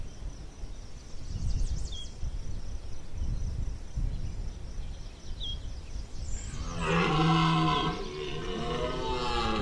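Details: Rutting red deer stag at Chambord, September 2021, gives a long, rough, resonant bellow in the final seconds, preceded by low rumbling background noise and a few faint high bird chirps.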